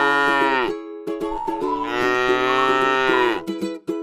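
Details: Two moos from a tame cow grazing in a rice field, a short one that cuts off, then a longer flat lowing call, with upbeat plucked music underneath.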